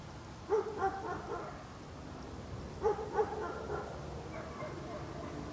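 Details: Dog barking in an outdoor setting: a pair of quick barks, a short lull, then another pair of barks and some fainter ones, over low continuous hiss.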